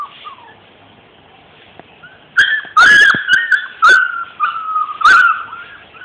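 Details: Labrador retriever puppies, 42 days old, give high whining whimpers and short yelps in bursts after a quiet start, while a man calls them repeatedly in Hindi.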